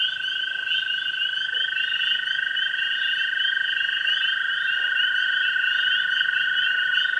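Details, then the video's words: Evening chorus at a pond in spring, where tree frogs, spring peepers and green frogs call together. An unbroken high chirping din overlays a steady, even lower trill running throughout. "Springtime Frog Sounds"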